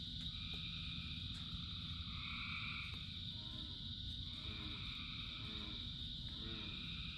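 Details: Many frogs in rainfall: several drawn-out, two-toned calls overlap, with short rising chirps late on, all above a constant high-pitched chorus and heavy rain noise.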